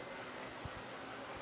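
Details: A cicada's shrill, steady high buzz that stops abruptly, over a fainter unbroken whine, recorded in a garden at nightfall.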